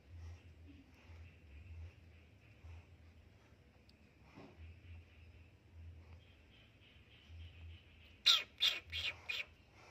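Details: Frightened kitten hissing when someone enters its hiding place: after a long quiet stretch with a steady high hum and faint low rumble, a quick cluster of four harsh, breathy hiss bursts comes near the end.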